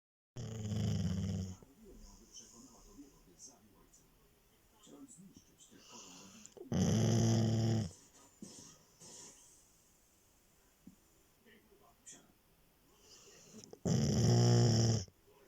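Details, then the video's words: A sleeping female Labrador Retriever snores in three long, loud, rasping, low-pitched bursts spaced about six seconds apart, with faint breathing and small indoor noises in the quiet gaps. "My female Labrador snoring"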